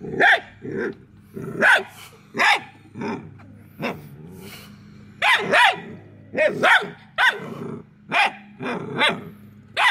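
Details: Several hounds chase a fleeing squirrel, barking excitedly and irregularly for about ten seconds, sharp ringing barks coming in bursts of two or three with brief gaps, some lower, rougher notes between.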